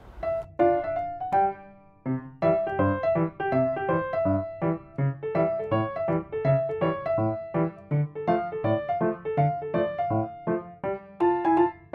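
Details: Solo piano music plays throughout, with repeated chords and a bouncing melody; no animal voice is heard.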